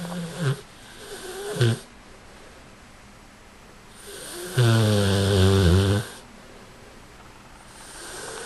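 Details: Boston, an American Bulldog, snoring: a short rasping snort near the start and another after about a second, then a long loud harmonic snore lasting over a second, steady low hum between breaths.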